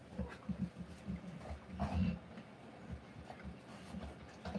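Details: Rottweiler giving birth to puppies: rapid, low, rhythmic breathing bursts about three per second, soft and muffled, with a few faint higher whimper-like traces and quiet room noise.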